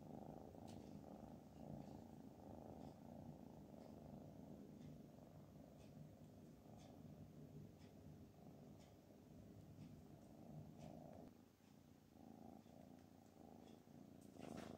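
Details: A black cat nicknamed Black Panther, resting on a sewing machine indoors, purrs in a steady low continuous rumble with faint clicks above, quiet room background throughout.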